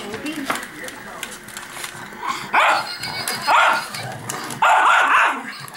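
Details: Pet dog Shelby, worked up by a robot dog, gives three loud, harsh barks spaced about a second apart, each a short broad burst, after quieter human voices and chatter.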